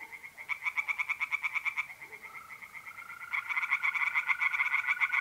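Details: Pond tree frogs by night in April, north-eastern Italy: bursts of rapid pulsed croaks, a short pause, then another fast series, while a steady tonal trill of mole crickets runs continuously underneath.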